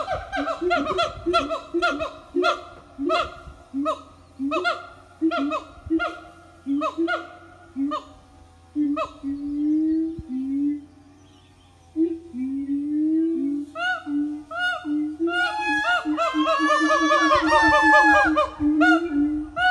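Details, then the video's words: Siamang family singing a morning song at an eco-tourism organic farm: loud, rhythmic series of hooting, barking notes with strong harmonics, building into rapid rising whoops and shrieks near the end. "Good morning song from Siamang Family"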